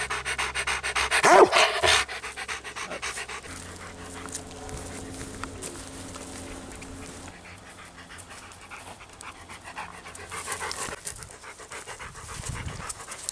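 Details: Ten-year-old male Labrador cross from an adoption shelter, on a walk, panting with rapid soft breaths; a loud rustling burst near the start and again around ten seconds, steady low background hum.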